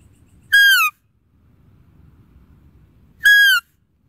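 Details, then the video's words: Calling deer gives a pair of brief, piercing whistles, each falling slightly at the end and ringing with harmonics, spaced roughly three seconds apart against a quiet, low murmur. "Deer Calling Sound"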